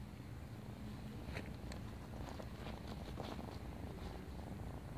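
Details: Neighborhood kitten, female, playing with someone; an unbroken deep purr fills the recording, overlaid by light crackling and soft scratching sounds.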